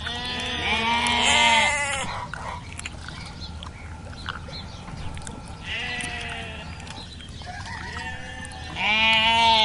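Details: Farm sheep bleating: three drawn-out, wavering, nasal bleats, rich in harmonics, at the start, middle and end. Steady background hiss fills the gaps.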